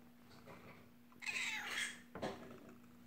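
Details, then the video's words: Olive, an adult kitten, meowing in a bathroom: one long drawn-out meow with bright upper harmonics lasting about a second, followed by a shorter cry, over a steady low hum. "Olive, the adult kitten, meowing in the bathroom"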